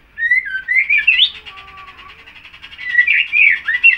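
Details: Full song (gacor) from a young captive White-rumped Shama, roughly six months old with freshly completed tail feathers: rich rising and falling whistles in fast, twisting phrases, a few lower drawn-out tones, background hum steady.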